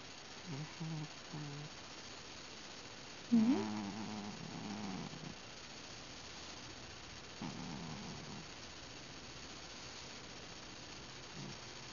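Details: Domestic cat named Ben grunting and whimpering while asleep or drifting off, being petted; several short low harmonic grunts, one louder rising whimper near the middle, then fainter grunts in a quiet indoor room.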